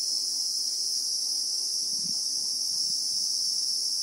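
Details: In South African bushveld, Christmas beetles (Anoplognathus) keep up a continuous shrill, level buzz in real time, with a faint low hum and a couple of soft thumps underneath.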